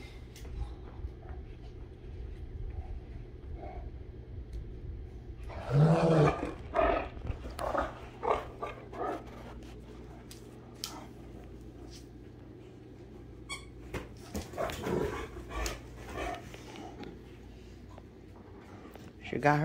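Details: Two Great Danes, Rhapsody and The Heartbreaker, wrestling in play; long quiet stretches broken by loud rough growls and snarling bursts around the middle and toward the end, plus scuffling sounds and a steady low hum.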